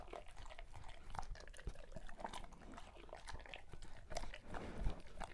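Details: Great Pyrenees chewing through its birthday feast, crisp crunches and wet smacking bites in uneven bursts, a louder crunch near the end, indoors in a small room.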